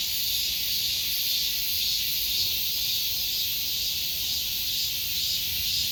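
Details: Summer cicada buzzing continuously, a high sizzling drone with a faint slow swell and fade in intensity every second or so, nothing else clearly audible.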